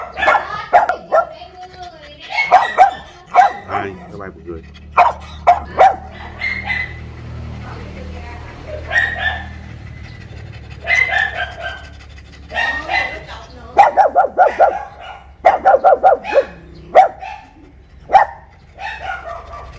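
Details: A pug, newly given and kept caged outside a house front because it is still unused to the home, gives short, sharp guard-alarm barks in uneven bursts while being teased.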